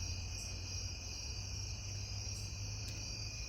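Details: A cricket on a back step sings a steady, high, shimmering trill that runs on without a pause, at night.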